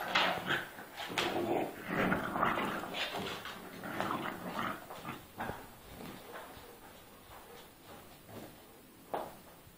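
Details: Pitbull and French Bulldog fighting: rapid, rough growling and snarling bursts, dense at first and tapering to quieter grumbles with one sharp yelp near the end.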